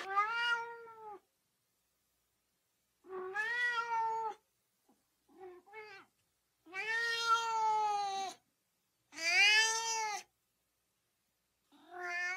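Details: Domestic cat meowing repeatedly to stir up dogs: long, wavering meows, a few short chirps, then two loud, strained, harsh meows and a final short call, with silence between.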